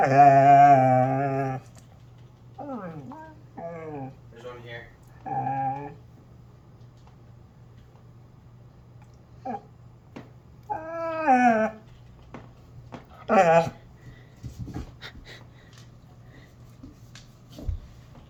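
A Basset Hound gives a long low moan followed by wavering whines and grumbling yowls.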